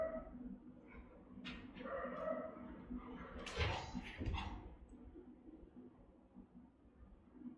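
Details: Rottweilers guarding the house, captured by a camera the dogs had discovered: Melsee's round, resonant, powerful bark, with her pup Siro joining in. A few short, rather faint barks come around the middle over a steady low hum.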